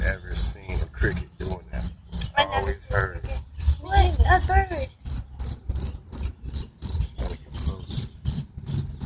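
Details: A big cricket keeps up rapid high-pitched chirps, roughly three each second, each a tight pair of pulses; human voices briefly talk over the middle of the calling, with a low hum underneath.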